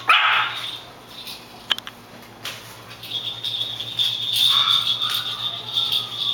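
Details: Maltese puppies, a litter of eight: a short, sharp high yip opens, then quiet, later a thin falling whine, all over a steady high-pitched hiss.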